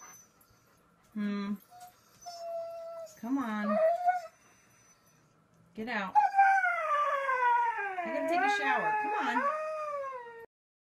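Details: Siberian Husky giving short yelping whines early on, then a long, wavering howl from about six seconds that rises and falls in pitch for over four seconds, with faint human speech in the background.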